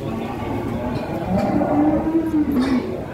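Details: Large horned bull, described as the biggest, arriving in the morning among a crowd, gives a drawn-out low moo that rises slightly and then dips, lasting over a second, over a steady murmur of voices and background noise.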